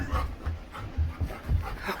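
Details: Female Labrador retriever panting indoors while playing actively with her owner: short, low, breathy bursts arriving at uneven intervals of roughly a quarter to half a second, with no other clear sounds.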